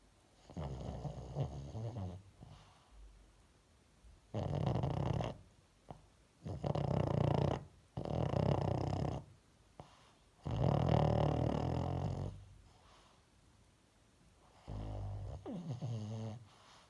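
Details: Sleeping pet dog snoring indoors: five or six loud, rasping low rumbles, each lasting about one to two seconds, separated by quiet pauses of steady breathing, with a short softer snore at the end.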